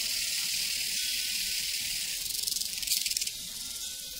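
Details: Prairie crickets keep up a steady high-pitched hiss of fast trilling chirps, with a brief burst of sharper pulsing midway through.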